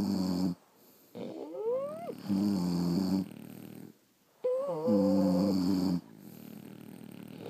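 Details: French Bulldogs asleep, snoring loudly: rough nasal rumbles alternate with high sliding whistles as air is drawn in, two main breaths with short quiet gaps, indoor setting.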